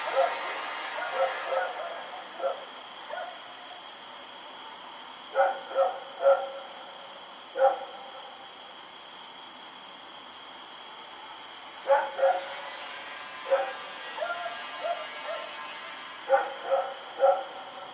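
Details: Dog named Rex running around and barking at night, recorded October 7, 2018: clusters of sharp, distant barks in bursts of two to four, separated by quiet gaps of several seconds, over a steady high electrical hum.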